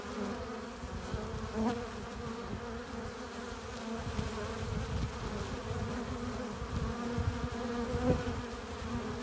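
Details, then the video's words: Honey bees at a hive entrance, workers flying in with pollen and nectar; a dense, steady low buzz of many wings, with occasional louder passes of single bees close by. "15 minutes of bee hive entrance! Relaxing sounds! Buzzing sound efects"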